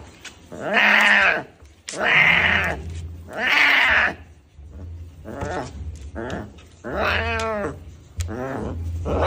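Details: Baby tiger making three strong, bleating cries in quick succession, then softer, shorter wavering calls, with a faint low hum behind.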